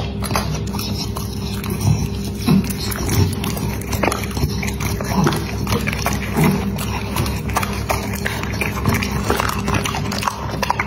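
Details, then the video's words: A dog eating, heard as a steady run of crisp chewing and crunching clicks over about eleven seconds, with a constant low hum beneath. "Dog Eating ASMR"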